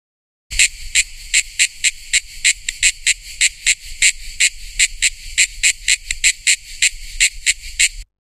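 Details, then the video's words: A cicada (tonggeret) sings in harsh, high, buzzy pulses, about three or four a second, with a faint low rumble underneath. "SUARA TONGGERET"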